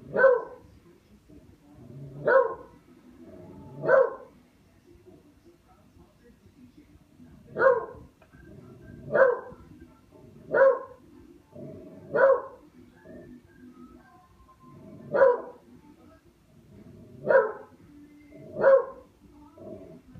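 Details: Pet dog Buster barks while playing with a katydid: ten short, punchy barks, mostly separate and spaced roughly every one and a half to three seconds, with a longer pause midway and a faint low hum behind.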